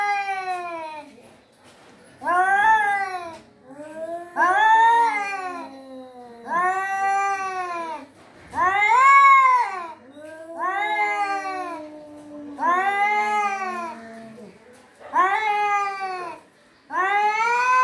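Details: Domestic cat calling with drawn-out, wavering meows, each rising then falling in pitch, repeated roughly every two seconds, about eight in a row; quiet gaps between calls, no other sounds.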